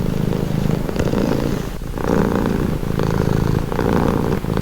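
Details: Cat purring close to the microphone, a throaty vibrating hum pulsing in roughly one-second inhale and exhale cycles, nothing else audible.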